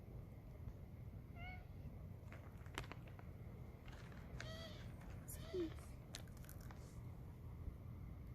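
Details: Hungry stray street cat begging for food: short, thin meows, one at about one and a half seconds, another near four and a half, and a third near five and a half, over loud low traffic rumble and scattered clicks.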